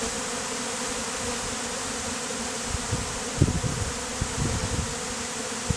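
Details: A swarm of honey bees, said to be killer bees, crowding onto a man for a bee beard; an unbroken low droning hum with scattered soft thuds and rustles in the second half.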